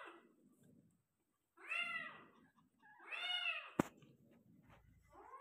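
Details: Persian cat meowing while giving birth to five kittens, two strong rising-falling harmonic meows and a shorter one at the end, with a sharp click and faint rustling indoors.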